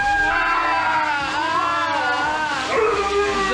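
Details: A husky howls loudly and continuously in hysterical protest while being bathed and groomed, its voice wavering up and down.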